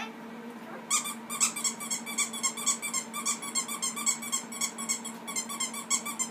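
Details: Pet ferrets indoors, playing with a child in a small room: after a second of quiet, rapid high squeaky chirps burst out in a fast, uneven stream of several per second and continue to the end over a low steady hum.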